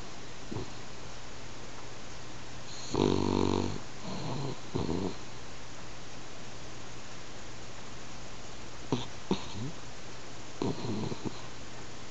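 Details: Pet French Bulldog snoring while asleep indoors, snores growing gradually louder; low rasping, rattling snores in short bursts, the loudest near the start, with quieter snorts spaced a few seconds apart in a quiet room.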